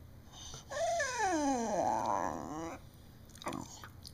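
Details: Pet beagle named Sarah vocalizing as if trying to tell her owner something: a loud, drawn-out moaning howl gliding steadily downward for about two seconds, then a short, sharp second yelp, indoors.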